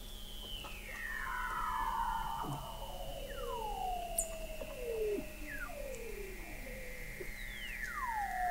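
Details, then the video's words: Weddell seals recorded in November 2017 by the McMurdo Oceanographic Observatory, 21 m below sea ice in McMurdo Sound, Antarctica: long descending whistled glides sweeping down through mid pitches, several overlapping, with quick falling chirps and a steady low hum. "Song of the Antarctic Weddell Seal"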